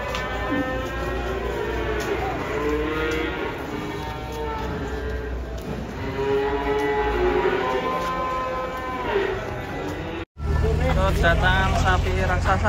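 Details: Giant cattle coming down off a truck moo repeatedly, long rising and falling lowing calls rich in harmonics, one after another for about ten seconds, then a sudden cut to a louder scene with voices.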